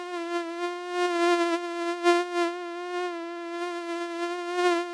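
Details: Mosquito in flight: a steady, high whining hum with a rich stack of overtones, wavering slightly in pitch and swelling in loudness every second or so as it moves.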